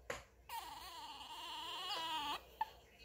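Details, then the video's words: Kkami, a 1.7 kg female Chihuahua born in 2018, whines to ask for what she wants and to keep her doll from being taken: a sustained, wavering, nasal whine lasting about two seconds, rising slightly at the end before stopping abruptly. "치와와 강아지 앙탈 소리"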